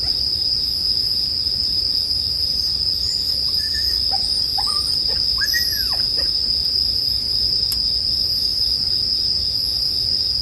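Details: High, steady ringing of bell crickets paired with bonfire sounds for sleep, joined midway by a cluster of short arched chirping notes and a single sharp crackle later on.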